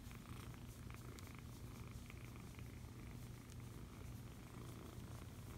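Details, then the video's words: Cuddled foster kitten purring, a constant low throaty rumble without pause, overlaid by light scratchy rustles and small clicks from handling. "Foster Kitten Cuddles and Purrs!"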